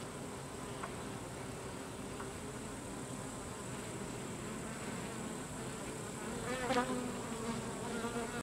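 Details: Carniolan honey bees during the slaughter of the drones, as drones are driven out of the hive, hum in a thick, continuous low drone that grows louder and busier just before the end.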